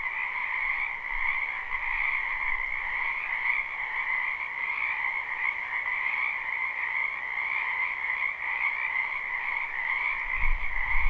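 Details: Many frogs calling at night in a spring wetland behind a house, recorded live without looping: a dense, unbroken chorus of trilling croaks in two steady pitch bands, with a brief low thump near the end.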